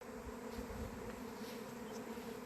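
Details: Honey bees at an apiary on 28 April, during the first swarm of 2026, earlier than the usual early-May swarming in this area; a steady, dense hum with layered low droning tones and no breaks.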